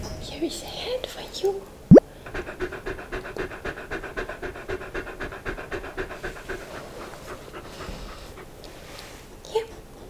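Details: Pet dog trying different foods, close-miked: steady rhythmic panting, about two breaths per second, runs through most of the clip, with a sharp click near the start and brief speech at the edges.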